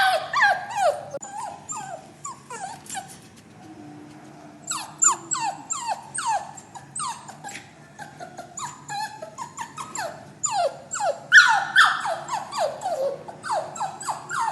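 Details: A caged puppy cries while waiting to leave for a new home. Short whiny yelps drop in pitch, softer and sparser at first, then come in quick irregular bursts, with a louder shrill run near the end.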